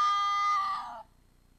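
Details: At about 18:10 on 4 December 2020, a red fox gives a single harsh, high, wavering howl that sags and fades after about a second, calling as it arrives at a restaurant plaza in Iizuna, Japan.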